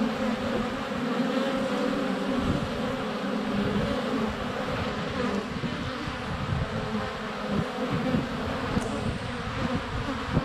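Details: Swarm of honey bees flying around a hive entrance in February sunshine, GoPro Hero 7 Black less than a foot away; continuous layered humming drone, with brief bumps as bees land on the camera.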